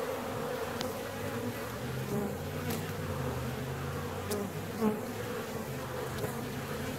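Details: Hive of honeybees seventeen days after the colony was split, giving a continuous low droning buzz with faint steady tones underneath and a few sharp clicks or taps scattered through.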